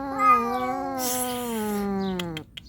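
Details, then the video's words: Calico cats in a fierce standoff, one named Xiao Ai against a nursing mother cat: a long, drawn-out yowl that slowly falls in pitch over two and a half seconds, with a brief hiss-like burst in the middle. "ศึกเดือดของวงการแมวสามสี🙀 เสี่ยวอ้าย vs แม่ลูกอ่อน"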